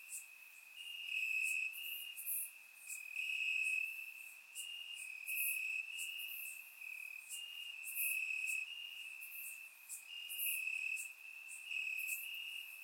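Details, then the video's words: Warm summer night in Bulgaria, crickets in the grass: continuous high-pitched trilling that swells and fades every second or two, over a chorus of fainter, sharper insect pulses higher up; surround-microphone recording. "Cricket Sounds - Crickets Chirping at Night"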